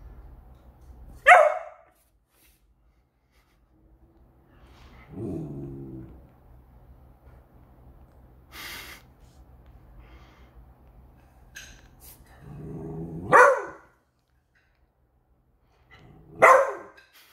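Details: A pet Beagle indoors on alert over a new squeaky toy, giving loud ear-splitting barks: one sharp bark, a lower growling bark, then two more sharp barks spaced several seconds apart, with quiet pauses between.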